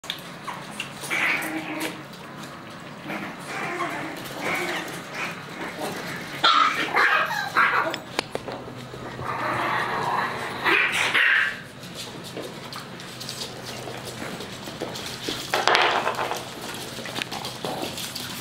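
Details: Chihuahua pups together with adult Chihuahuas, heard in short high-pitched yaps and whining bursts, clustered near seconds 7, 10 to 11 and 16, between quieter stretches over a steady low hum.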